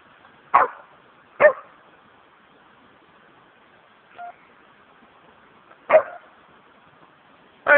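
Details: Remy, a Samoyed nearly four years old, barking at Chessel Bay in Bitterne Manor, Southampton, England, captured on a low-quality phone; short sharp barks spaced irregularly, two close together early, a soft one midway, then two more, over low hiss.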